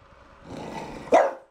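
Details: A French Bulldog in the bathroom before bathing gives a single sharp, abrupt bark after a soft, low rumbling sound, during bark practice.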